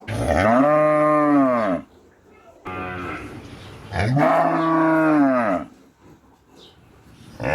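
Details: Cow mooing: two long, loud, drawn-out moos, each about two seconds, with rich harmonic tone that rises then falls, separated by a quiet pause.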